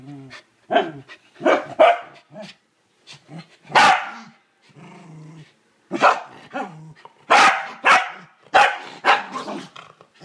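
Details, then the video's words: Corgi called Kevin Bacon showing hatred of the toilet bowl brush: clusters of harsh barks mixed with short low growls, a loud bark burst near the middle, then dense barking with growl undertones in the closing seconds. "Corgi hates toilet brush"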